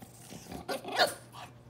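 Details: French Bulldog fussing indoors for food its owner ate without sharing; a soft, brief whining grumble with a rising tonal note near the end, and a steady low electrical hum underneath.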